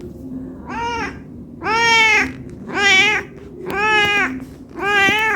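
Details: Meowing cat asking to be fed because it is hungry: five loud, rising-and-falling meows about a second apart, with a soft steady low hum and a faint click behind.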